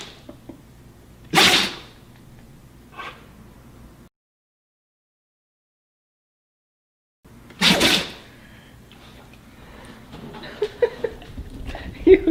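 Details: A Siberian Husky gives sharp, explosive sneezes, described as happy sneezes, short bursts of breathy noise a few seconds apart.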